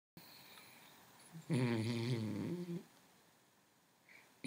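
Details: An overfed dog snoring: one loud, rasping, low-pitched snort lasting just over a second in the middle, with quiet room noise before and after.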